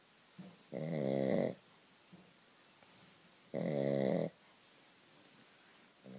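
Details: Shih Tzu snoring loudly, described as begging for more: two long rasping, harmonic-rich snores about two and a half seconds apart, each lasting under a second, with quiet breathing between them indoors.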